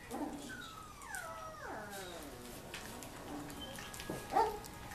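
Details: Labrador Retriever puppy, 3.5 weeks old, playing with littermates and filmed with a Kodak EasyShare Z5120, lets out a long, falling whine that slides steadily downward, followed by softer whimpers and one short, sharp yelp near the end.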